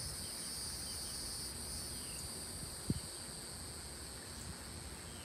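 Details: Southeastern United States cicadas, recorded in South Carolina, give a constant high, hissing buzz that stays level throughout, with low background rumble and one brief click partway through.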